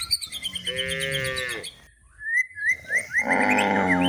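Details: Cows looking for food in a forest while being herded toward a livestock pen; one drawn-out harmonic moo rising then falling over about a second, then bird chirps and whistled notes fill the second half.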